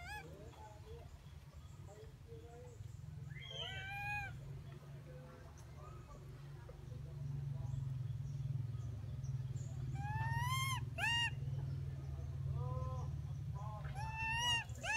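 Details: Baby pig-tailed macaque cries loudly and angrily because its one-eyed mother will not give milk. It is in a wild monkey group at a pagoda on a small mountain. The cries are shrill, downward-sweeping and come in clusters over a steady low rumble.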